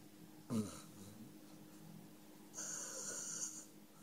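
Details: Sleeping male dog named Five snores indoors: a short snort, then after a pause a longer wheezing snore with a whistled, hissing overtone lasting about a second.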